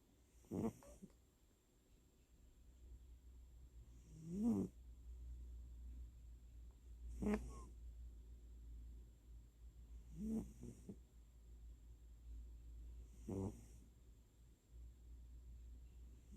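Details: Elderly tabby cat fast asleep in an October 2020 home recording, microphone held right beside it, snoring with twitching dream movements: short, gravelly inhale snores repeating every three seconds or so, five in total, over a soft, steady background hum.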